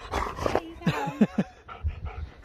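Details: Husky vocalising during a birthday moment: a quick run of short yips and whimpers, several clipped bursts in a row, with a person's voice nearby.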